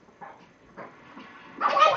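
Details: Two Shih Tzus playing give short, yappy barks in quick bursts, the last one loudest and roughest.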